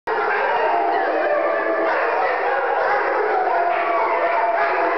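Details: A pack of pet dogs howling together after one starts and the rest join in; dense overlapping wavering howls in many voices sustained throughout without a break.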